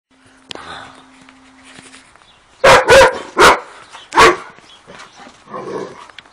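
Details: Dogo Argentino barking in a burst of four loud, broad barks around the middle, the last after a short gap, followed by a softer muffled vocalisation; faint background murmur and a low hum early on.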